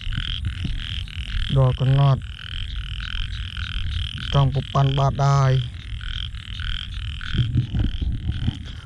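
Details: Large frogs croaking on a rainy night in Cambodia while being hunted: low, pulsing, groaning calls in two clusters of several croaks, a fainter one near the end, over constant background music.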